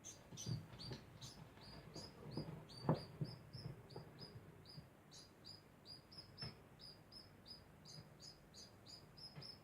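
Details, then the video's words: Degu calling constantly: a steady series of short, high, sharp chirps, about three a second, each with a brief downward flick, over a low background rumble and occasional soft knocks. "Degu makes constant sound"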